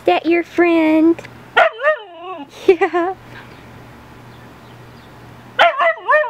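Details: A female Siberian Husky 'talking' to a neighbour dog through a fence: bursts of harmonic, yodelling woo-woo sounds that bend up and down in pitch, several in quick succession, a pause with low hum, then more.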